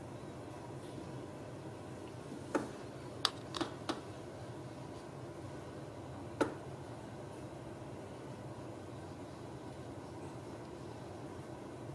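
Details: A quiet indoor room hums softly, broken only by a few sharp clicks and taps, with no animal voice present.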